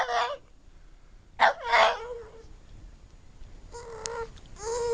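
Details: Spice the pug giving odd vocal noises: a short burst of wavering, sobbing whines, a pause, then more tonal whining notes that end on a sustained, slightly rising cry.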